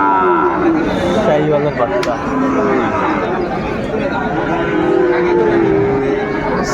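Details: Sahiwal bull calves, about five months old, offered for sale at Raniganj market, Dinajpur, Bangladesh, on 20 February 2025; several calves give long wavering moos that overlap, with constant buyers' talk and crowd noise around them.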